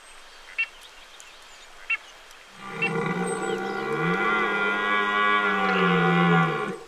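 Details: A red deer stag gives a long, deep, drawn-out roar during the October rut.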